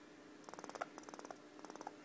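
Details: Female pet squirrel indoors, purring before barking when upset: three short bursts of fast, evenly spaced clicking pulses, each lasting under half a second, separated by brief pauses in a quiet room.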